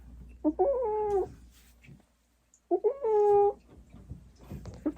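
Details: Large former-stray Norwegian Forest cat protesting during chin acne care; two strained, nasal yowls about two seconds apart, each rising then sagging, with handling rustles and faint background noise between them.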